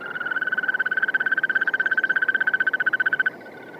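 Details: A greenish-yellow Yosemite toad sings from a small grassy island in Yosemite National Park: a steady, fast pulsed trill on one pitch lasting about three seconds, then stopping abruptly.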